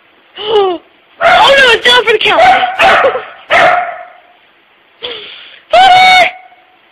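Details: Frightened puppy Pooper barking at a puppy-shaped tissue holder indoors at a workplace; short yelping barks, some rising, in scattered bursts while a man talks to him teasingly.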